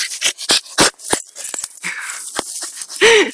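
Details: Bailey, a Staffordshire Bull Terrier mix rescued from a local kennel, excited on a surprise visit: rapid breathy panting bursts, a few sharp huffs, then a short rising-falling whimper at the end, with a woman's voice nearby.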